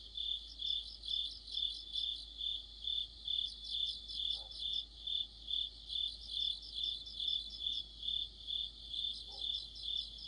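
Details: Mid-autumn cricket orchestra under a streetlight: bright chirps beat steadily about twice each second while bursts of a higher, faster trill come and go, with two faint soft knocks.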